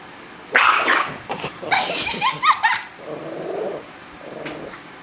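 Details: Chihuahua eating corn and refusing to share, giving harsh noisy vocal bursts near the start, then a run of short pitched yips and growly sounds, ending in lower muffled rumbles.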